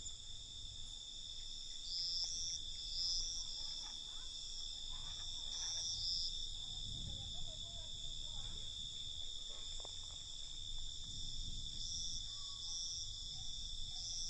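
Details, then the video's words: Crickets chirping at night, a steady high shimmering trill layered in bands with brief brighter bursts, over low rumbling background noise and faint scattered knocks. "Night Cricket Sound"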